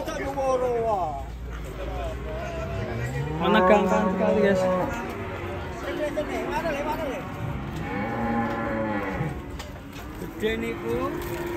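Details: Enraged cow, agitated because a rope is pulled tight around its neck, gives a series of loud, wavering, strained moos, some rising then falling, with people talking and shouting in the background.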